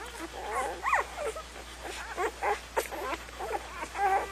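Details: Young puppies whimpering: thin, squeaky, wavering cries rising and falling, repeated in short irregular bursts about twice a second against a steady low hum.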